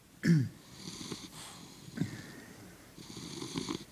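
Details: Sleeping English Bulldog lying on its back, paws up: a short nasal grunt-like snort, then softer wheezy snoring breaths at about two and three and a half seconds, in a quiet room.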